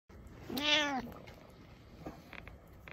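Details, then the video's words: A pet cat meows at the listener indoors: a single clear, rising-then-falling harmonic mew lasting about half a second, followed by faint room noises. "Cat Meows At You"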